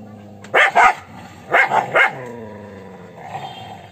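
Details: An angry dog barks in quick pairs and triplets, gruff and loud, followed by a softer low growl near the end.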